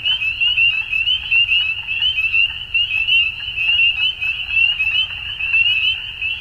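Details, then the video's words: Spring frog chorus at dusk in Ontario, Canada: many frogs produce a continuous wall of high, shrill peeping, pulsing slightly in loudness, with faint low rumble beneath. "Frog Sounds At Dusk"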